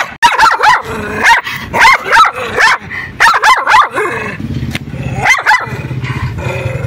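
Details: Teddy Bear, a white dog tied by a public road, barks fiercely at a person approaching; loud rapid clusters of harsh barks in bursts, ending in a low growl.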